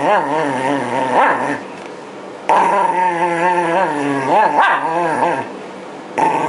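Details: ['Yamato, a Shiba Inu, voices wobbling, moaning growls while being brushed as its winter coat sheds near spring 2012. Loud passages alternate with brief softer lulls.']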